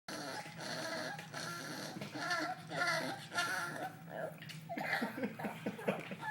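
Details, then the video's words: Angry half miniature pinscher, half Pomeranian dog indoors in a small room, not wanting to be petted, makes strange grumbling growls and whiny yips in uneven bursts, with some faint human voices in the background. "Mad Dog Funny Noise"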